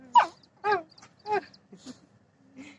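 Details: Sapsali dog whimpering in five short, tonal yelps, roughly every half second, the first loudest and the later ones softer and fading.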